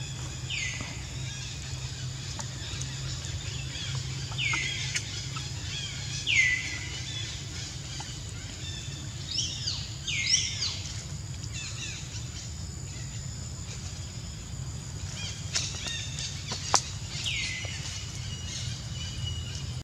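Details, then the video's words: Young monkey Jazzy crying after ants bit her whole body: a series of short, high, downward-sliding whimpers recurring every few seconds, some doubled, with clicking noises and a constant low rumble behind. "Jazzy Monkey Crying Hur-t Full Body By Ants"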